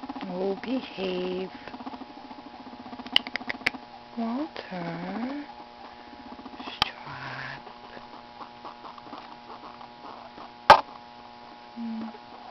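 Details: Pet guinea pigs FuzzyWuzzy and Walter meeting and getting to know each other; low buzzing, pulsed rumbles rise and fall in several short bouts, between scratching, a few sharp knocks and a steady background hum.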